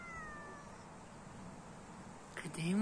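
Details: A cat gives a faint, drawn-out meow that slides gently downward over the first second, then quiet room tone and a short burst of other sounds near the end.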